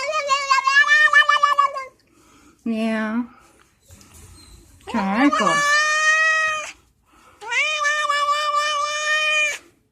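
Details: House cat making crazy noises while being scratched: a series of drawn-out meows and yowls, some wavering, one sliding upward, separated by short pauses, with faint voices indoors.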